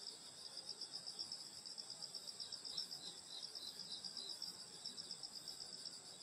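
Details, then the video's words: Rural summer night insects at a grandmother's home produce an unbroken shrill trilling chorus, several high bands throbbing quickly and regularly, with quiet ambient hiss. "여름소리 풀벌레소리 시골밤소리"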